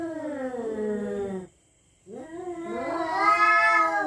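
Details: Territorial cats threatening each other after dark: a descending mournful yowl, a brief silence, then a new cry that climbs into a strained, higher-pitched wail.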